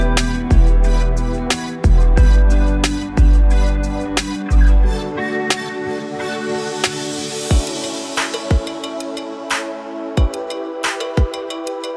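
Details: Electronic music with heavy bass hits fading into sparse percussive beats and ringing tones.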